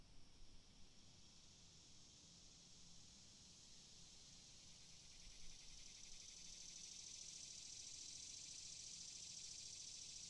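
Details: Cicada chirping: a dense, shimmering high buzz that grows steadily stronger over the clip, with a faint pulsing texture and a low rural background rumble.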